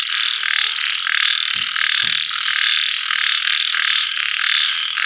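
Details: After rain at nightfall, small frogs keep up an unbroken buzzing, trilling chorus with fast pulsed rattles; two short low thuds near the start and a brief faint tone cut through the din.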